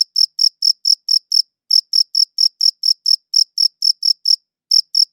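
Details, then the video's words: Chirping crickets recorded on a quality audio recorder, giving brisk high-pitched pulses in quick bursts, interrupted by two short pauses before the chirps resume, with nothing else audible. "Cricket Chirping Sounds"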